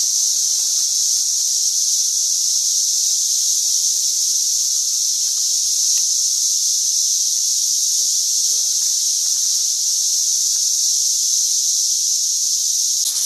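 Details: Massed cicadas swarming around St. Louis during 2011 produce a continuous shrill, hissing drone at steady volume, with faint brief low sounds, possibly distant voices, underneath near the middle.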